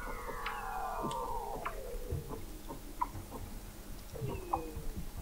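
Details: Weddell seals under McMurdo Sound sea ice, Antarctica, recorded November 2017 at an observatory 21 m beneath the ice: layered downward-gliding tones with harmonics, short descending whistles near the end, and irregular low knocking pulses.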